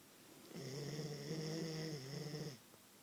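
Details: A single drawn-out snore from a sleeping Queensland Koolie indoors, a low, steady, droning rumble lasting about two seconds.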